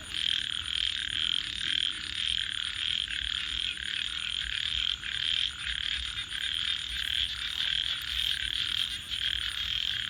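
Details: A night chorus of frogs gives an unbroken wall of fast buzzy trills that swell and fade slightly in loudness, with steady high hiss behind.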